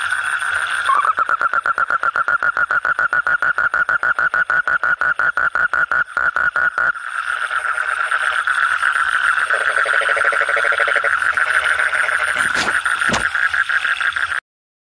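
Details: Frogs croaking at night: a fast, regular train of short mid-pitched pulses, then a busier overlapping chorus with a lower droning layer and a brief sharp click near the end before silence.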